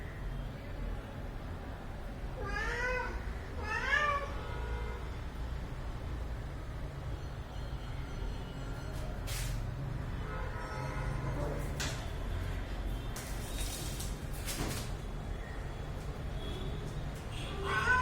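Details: Pet cat at home, playing and being groomed, gives two clear rising-falling harmonic meows near the start, followed by handling noises, clicks and low background rumble.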